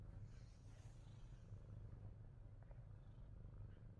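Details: Low, unbroken purring from Fat Boy, a Himalayan Persian pet cat, a throaty rumble with a faint breathy hiss early on.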